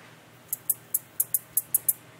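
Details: A male black-legged meadow katydid calls with sharp, very high ticks in a quick, uneven series, while a female nearby lays eggs into a wild grapevine stem.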